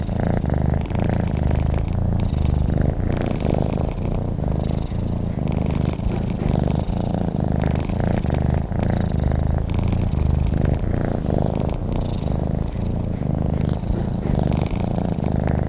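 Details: A cat purring in its sleep, a deep vibrating drone that rises and falls with each breath. The rhythm is regular and unbroken, with nothing else audible.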